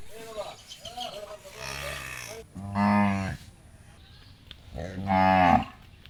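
A cow gives two long, low moos with strong harmonics, about two seconds apart.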